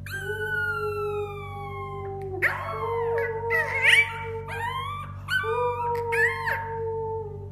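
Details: Puppies howling for the first time: a sustained slowly falling howl, then several overlapping wavering howls and short rising yelps, over a steady low musical hum.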